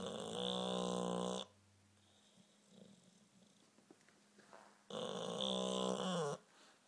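An English bulldog snores in long, rasping, buzzy breaths with quiet pauses between.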